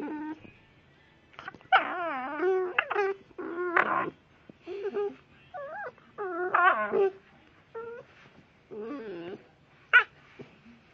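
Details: Blue Staffordshire bull terrier puppy making odd noises: a run of high, wavering whimpers and yips with warbling pitch, in short bursts of about half a second to a second, some rising and falling, repeated through the clip with brief pauses.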